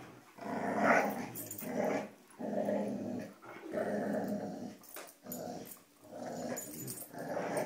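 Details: Three dogs play tug-of-war with a rope indoors, producing rough, rumbling growls. Each growl swells for about a second and then breaks off. The surges repeat steadily, with snarling peaks between them.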